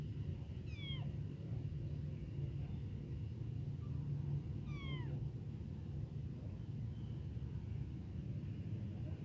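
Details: Newly born, abandoned little kitten calling for its mother and hungry for milk, giving two thin, falling cries roughly four seconds apart, with a constant deep background rumble.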